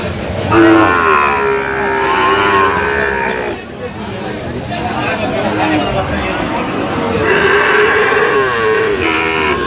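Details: Sahiwal bull calves, bought by a farmer from Feni, Bangladesh, on 9 November 2025, amid price haggling; two long, drawn-out harmonic moos, the first lasting about three seconds, the second shorter near the end, with people talking throughout.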